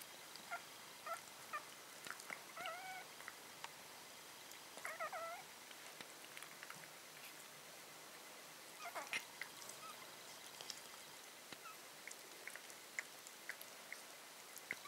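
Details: Italian Greyhound puppies from one litter, 1.5 weeks old, give thin, high, wavering squeaks in short bursts against a quiet hiss.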